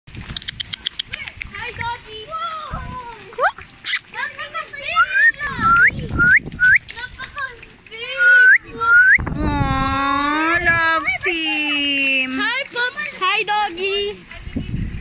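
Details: An Alaskan Malamute on a farm in Tagaytay, Philippines, makes drawn-out, sliding whines and a long, wavering 'woo' among soft smacking sounds while giving kisses.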